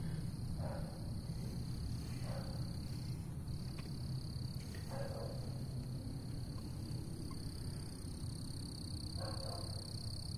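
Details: Frog sitting on a person's shoe outdoors, giving short rasping croaks at about 0.7, 2.3, 5 and 9.3 seconds, over a steady high insect drone and low rumbling background noise.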